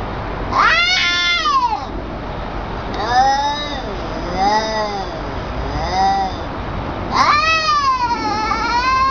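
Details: Domestic cat during a fight between cats, giving long, wavering yowls with rising and falling tones. There are three drawn-out wails and a warbling middle passage over nine seconds.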